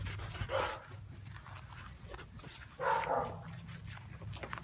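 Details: Khloe, a Siberian Husky, playing tug of war: two short, rough vocal bursts, one near the start and another about two seconds later, over a steady low hum.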